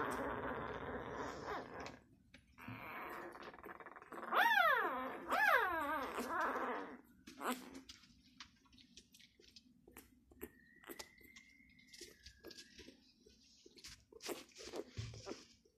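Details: A Labrador Retriever pup aged six days whimpers indoors: two strong, high, descending whines in quick succession midway, between stretches of rustling and quiet handling sounds.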